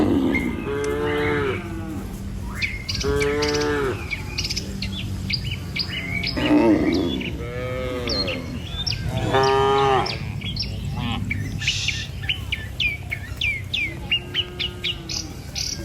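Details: Morning herd of tame cattle walking across a river bridge to village fields: repeated mooing, short and long, from several cows, with chirping songbirds throughout and a steady low hum.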